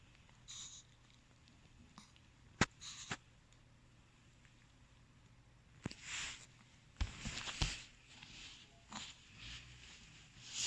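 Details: Long-coated black, tan and white male Chihuahua named Kuu, born 8 April 2017, reverse sneezing indoors after staying home alone: a cluster of short, harsh, breathy snorting bursts midway, preceded by a few sharp knocks in a quiet room.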